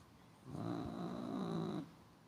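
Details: A domestic cat held on its owner's lap after knocking something onto a tablet and attacking gives a low, rough, rumbling growl held for just over a second, then stopping abruptly, with a faint thin high tone alongside.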